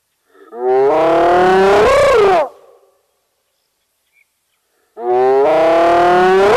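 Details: Spotted hyena at Nkorho Bush Lodge in the fenceless Sabi Sand reserve beside Kruger National Park, South Africa, picked up by a live camera: two loud, drawn-out, hollow whoops, each rising and swelling toward the end, separated by a silent gap of about two seconds.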